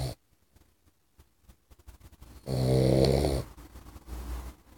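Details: Boxer puppy snoring while asleep: one loud, rasping, buzzy snore lasting about a second, surrounded by quieter soft breaths and faint clicking.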